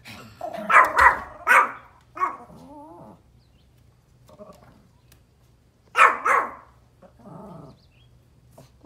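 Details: A Pomeranian outdoors, barking at deer, gives sharp, high yappy barks in quick bursts while a person talks softly between them, reassuring it that they're gone.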